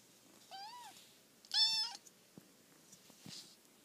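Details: Domestic cat meowing indoors: a soft short meow followed by a louder, clear rising-falling meow, then faint room noises.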